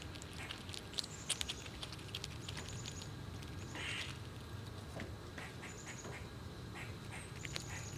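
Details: Several squirrels eating nuts outdoors in cold winter weather and pushing each other around. Scattered sharp cracking and crunching clicks come at irregular moments, with thin high whistled tones and a steady low rumble in the background.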